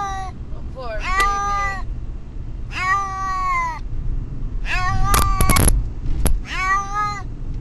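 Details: Car ride to the vet for a distressed pet cat named Brutus the Beefcake, whose cries seem to say "Amber": five strained meows, with sharp rattling clicks near the end and steady engine rumble throughout.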